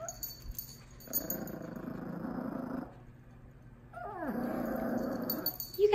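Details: Miniature Pinscher puppy, 2 months old, meets a Dachshund of 1 year 6 months; two drawn-out rumbling growls with a pause between, the second opening with a sharp descending whine.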